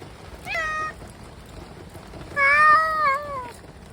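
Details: Stray cats enduring heavy rain: two clear harmonic meows, a short one near the start and a longer, wavering one about a second and a half later, over soft background hiss.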